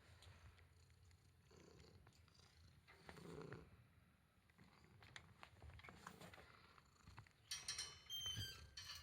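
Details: Male house cat purring softly, a low, uneven rumble throughout, with brief high clicks and rustling near the end.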